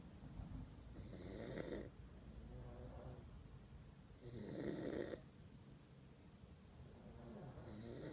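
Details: Lucy the pug drifting into sleep snores steadily. Each deep, throaty rumble ends in a soft, airy exhale, and the cycle repeats roughly every three seconds against faint room hum.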